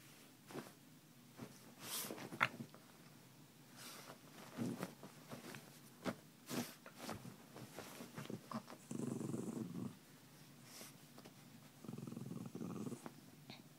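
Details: Memzy, a pet dog, playing after waking its owner: soft scattered snuffles and clicks, then two low, rough growl-like bursts near the end, each about a second long.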